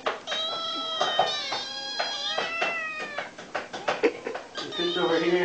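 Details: Very hungry kitten meowing nonstop to be fed: loud, drawn-out harmonic meows arching slightly in pitch, coming back-to-back, with a human voice briefly near the end.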